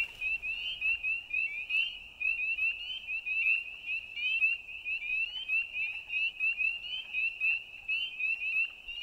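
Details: Frogs at night: a dense chorus of rapid, high, chirping notes runs continuously in a steady pulsing rhythm, many callers overlapping with no pause.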